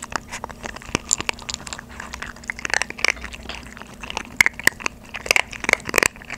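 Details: Two 3.5-month-old Maltese puppies, one female and one male, eat dry kibble for the first time instead of their usual soaked food, giving sharp, irregular crackling bites in quick bursts.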